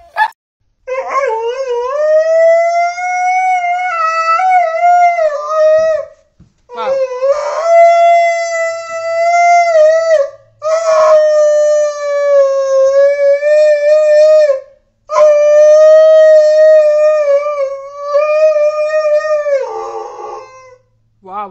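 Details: Siberian Husky howling indoors: four long, sustained, wavering howls, each lasting several seconds, with a steady mid pitch and a rich, ringing tone, separated by short breaks.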